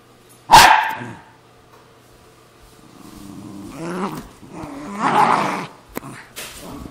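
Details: Pet Cairn Terrier and Jack Russell Terrier squabbling over a golf glove: one sharp loud bark opens, then quiet, then building growls and a snarling burst, with a click near the end.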